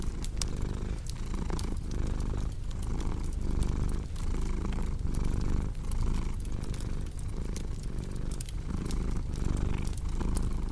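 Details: Cat's deep, rumbling purr pulsing in regular breath cycles about every second, mixed with crackling fireplace snaps and pops throughout.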